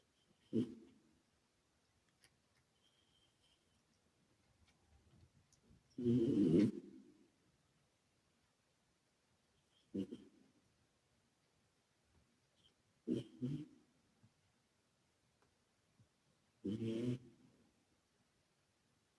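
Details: A sleeping male British Shorthair named Calmo, a former rescue cat, breathes noisily with an echo effect applied. Short, husky snorts arrive at uneven intervals, one longer and louder than the rest, with quiet pauses between.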